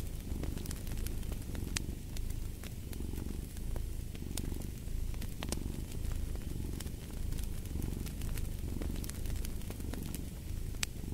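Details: Deep purring of a cat runs unbroken, pulsing in gentle rhythmic waves with each breath, while a fireplace crackles and snaps in the background.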